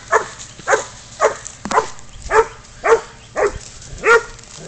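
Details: Spud the pid dog baying up a goat, catch and release: a steady run of eight rough, mid-pitched barks about every half second, evenly spaced, over a faint low hum.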